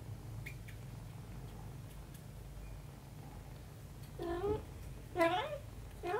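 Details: A mother cat and her young daughter: about four seconds of near quiet with faint clicks, then three quick meows with a rising, then bending tone, the middle one loudest.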